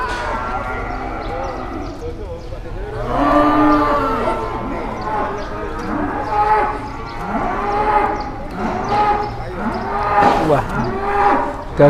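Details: Big cattle arriving early at Pasar Pon market and drawing a crowd of onlookers, lowing in several long, rising-then-falling moos every two to three seconds over steady crowd chatter and background hum.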